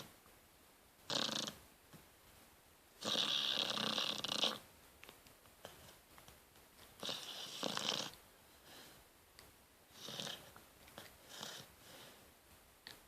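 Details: Sleeping Rottweiler puppy snoring, with hissy, rasping breaths in irregular bursts, one long snore over a second long, the others shorter and spaced one to three seconds apart, in a quiet room.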